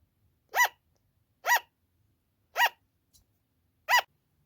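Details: A kept sugar glider repeating its loud "an-an" cry, which tends to go on for a long time at night or while the owner is out: four crisp, yapping barks about one second apart, with a faint tap in between.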